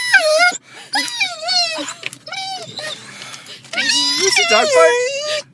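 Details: A dog excited on arriving at the dog park produces a string of wavering, yodel-like whines and squeals in rapid bursts, rising and falling in pitch, ending in one long warbling cry.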